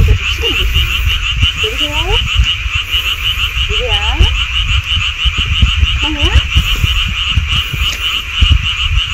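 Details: Frogs heard in mountain woods by a golf course: short upswept, stacked croaks repeating roughly every two seconds over a constant fast-pulsing high trill and low background rumble.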